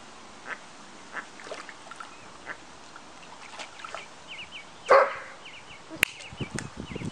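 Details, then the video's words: A Doberman barking at a family of ducks gives one sharp, loud bark midway, among quiet knocks and rustles, followed by a run of thin, high peeping calls. "Doberman barks at duck family"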